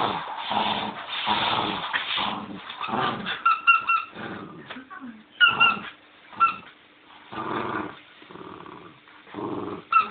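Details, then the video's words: Bichon named Leo at play with a squeaky bone, giving low growling grumbles in separate bursts, broken by bright toy squeaks and brief pauses, with a voice speaking faintly. "Leo playing with his quietschie bone"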